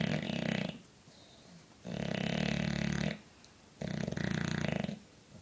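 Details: A sleeping 4-year-old English Bulldog snores in deep, rattling, buzzy breaths, each drawn out for a second or more.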